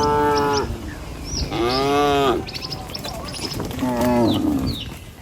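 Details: Tame cattle walking in a herd over a river bridge toward a village in the morning; three clear, drawn-out harmonic moos about two seconds apart, birds twittering faintly behind.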